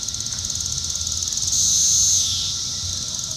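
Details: Brood IV Cassin's periodical cicada at Shawnee Mission Park, Kansas, June 5, 2015, one tymbal visible through an upswept wing; rapid pulsed high buzz rising into a sustained louder drone midway before easing back to pulsing.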